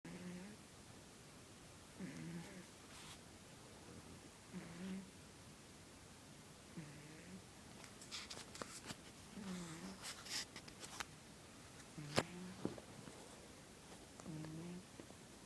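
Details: Pet cat Midnight asleep on a lap indoors, snoring: soft, low, rasping breaths recurring roughly every two and a half seconds, with scattered clicks and rustling in the small room.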